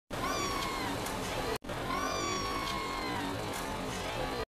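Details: Stray cats living on the street, one giving a drawn-out harmonic meow that slides gently downward, followed by a second similar meow after a brief break, over steady background hiss and faint music.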